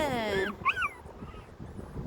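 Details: Dog whimpering during a rainy-day walk, with a schnauzer and a West Highland White Terrier on the outing: a falling whine, then two short, sharp, rising whimpers in quick succession, followed by quiet background noise.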